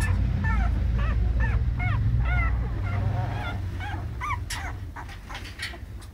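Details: Whimpering from American Staffordshire Terrier puppies: a quick run of short, arched, high-pitched squeals about every half second, growing sparser toward the end over a steady low hum.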